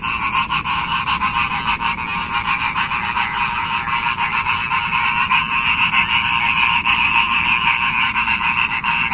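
A dense chorus of frogs, with rapid pulsing croaks blending into a steady rattling drone.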